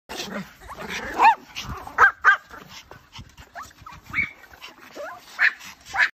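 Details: Puppy giving a series of short, high yelps and squeaky whines, spaced irregularly, some rising then falling in pitch, with a few soft vocal sounds between them.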